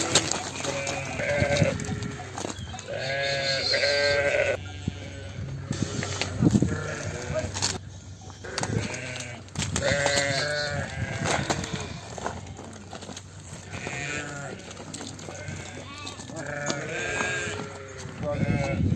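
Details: Flock of ewes and lambs kept apart on a sheep farm, calling almost nonstop: dense overlapping quavering bleats, high and low voices answering each other, with a steady low hum beneath.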